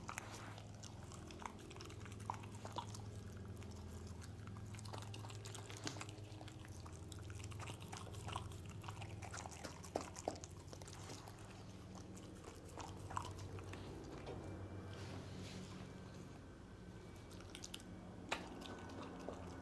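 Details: Pet dog Lucy eating scrambled egg indoors; steady irregular wet chewing, smacking and licking clicks come close together throughout, with a few sharper bites standing out, over a low constant room hum.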